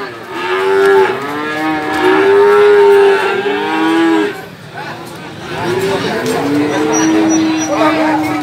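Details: Male calves at a cattle market in Gorang Gareng, Magetan, East Java, Indonesia, 24 February 2019: long tonal moos with steady, slightly bending pitch, several overlapping and lasting around a second each, with market chatter and background noise.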